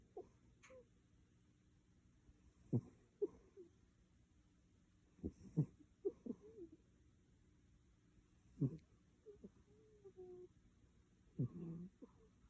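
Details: Sound asleep indoors, the cat Maru snores with low, breathy, wheezing snorts, some paired or doubled, arriving about every three seconds amid faint room hum.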